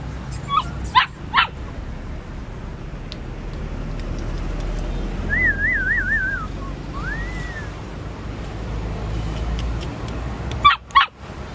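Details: A platinum-coloured purebred Golden Retriever gives short sharp barks and a wavering, high-pitched whine.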